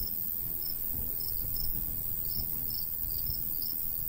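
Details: Crickets chirp in a summer countryside with a golden wheat field. High chirps are fainter and come in irregular bursts, set against a steady shrill hiss and a fairly strong low breeze.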